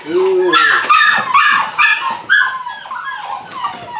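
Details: Eight-week-old Belgian Malinois puppies from one litter at the start of bite work: high, arching whimpers and sharp yelps in quick, uneven bursts, with human voices mixed in.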